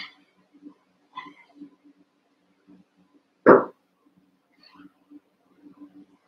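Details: Young Cavalier King Charles Spaniel puppies playing in a pen. A single loud, short bark stands out midway through, surrounded by soft scattered squeaks and low rustling from the playing litter.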